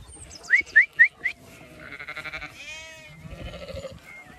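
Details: Zwartbles sheep on a farm in County Kilkenny, Ireland, heading to a fresh field for late afternoon grazing; a wavering, harmonic bleat in the middle, preceded by four sharp high chirps and followed by a person calling the sheep.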